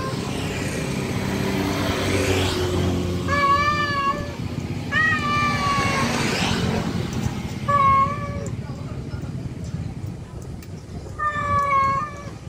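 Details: Male cat calling a wild female to mate: four drawn-out, harmonically rich yowls, each about a second long, with a steady low rumble of traffic or engine noise underneath.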